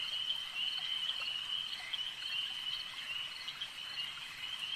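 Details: Frogs calling at a lake, heard as a dense, continuous high chorus of fast trills that blend into a steady shimmering band, with faint ticking clicks scattered above it.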